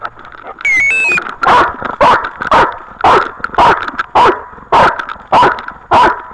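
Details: Dog recorded on a dog camera, barking in a steady run of about ten loud, broad barks spaced roughly every half second, preceded by a brief electronic chirp; constant engine-like hum underneath.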